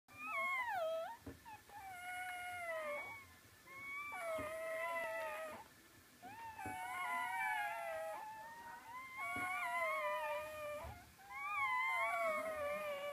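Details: Puppies whining indoors: high, tonal whimpers with clear harmonics, each falling or wavering, given in bursts of one to two seconds separated by short pauses, about twenty-six per minute.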